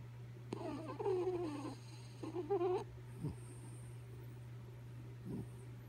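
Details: Kaya Boo, a pet dog, snoring while asleep indoors: two drawn-out, rasping breaths with a squeaky, whistly edge, each lasting about a second, then a couple of faint soft snuffles over a steady electrical hum.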